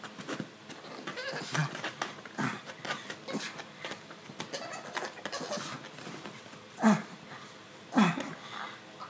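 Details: Stitch the male pug, scratching his itchy neck indoors, makes odd low grunts and snuffles that end in two sharper, bleat-like squeals near the close.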